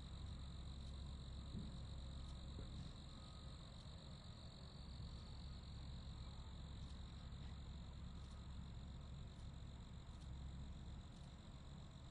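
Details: Crickets chirping as a constant high-pitched drone, with quick pulses repeating rapidly and evenly throughout, faint and steady over a low rumbling background.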